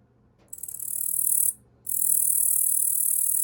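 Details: A male Yabukiri katydid (Tettigonia orientalis), raised from a small juvenile caught in early spring, sings perched on an arm: a high, dry buzzing trill, broken once by a short pause.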